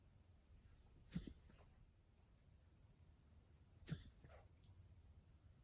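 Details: Pet dog with mild bronchitis coughing indoors: two short, harsh, explosive coughs about three seconds apart, each a brief rough burst over a low background hum.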